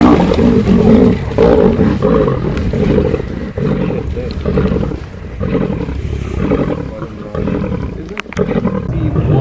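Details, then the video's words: A large pride of lions feeding, heard from a distance and mostly out of sight: growling and snarling, deep rumbling sounds with bursts of harsh roaring. "Sounds of feeding lions - scary!"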